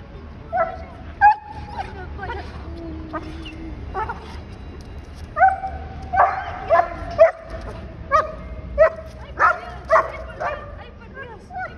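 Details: Bernadette, a Bernese Mountain Dog, greets her returning owner at the airport after a week apart: a run of about a dozen sharp, high yelping whines, some drawn out and wavering, over a low background hum and people talking.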